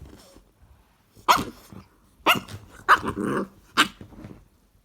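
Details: Playful Cane Corso puppy indoors, mixing short barks with growly, grumbling vocalizations, four louder bursts spaced about a second apart.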